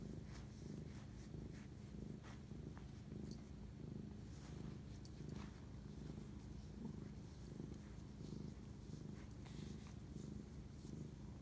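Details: Cat purring late at night, 11:07 pm, March 25, 2019, during a bonding moment with its owner. The deep, continuous rumble throbs in a regular rhythm, with small scattered clicks from handling.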